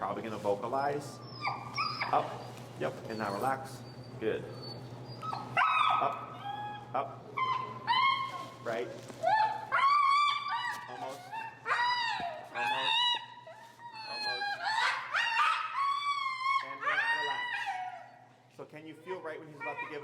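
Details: Finnegan, an extremely vocal feral husky, protests against a behavior during heel training in Chicago while being taught pressure. Rising and falling harmonic whines and howl-like yowls repeat in bursts, mixed with a man's calm speech.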